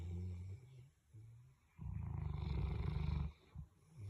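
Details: Sleeping Boerboel mastiffs snoring together indoors; a soft low breath gives way to one long, loud, rattling snore lasting over a second, then quieter wheezy breathing.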